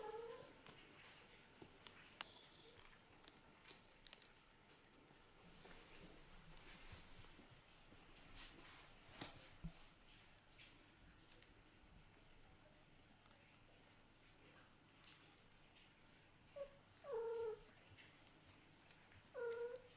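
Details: Kittens playing indoors with a toy ball that keeps rising, biting at it. Mostly soft rustling and handling noise, then short mid-pitched meows, one near the start and two close together near the end.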